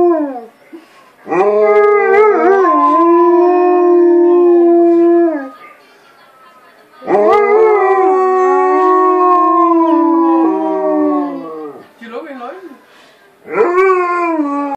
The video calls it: Dogs howling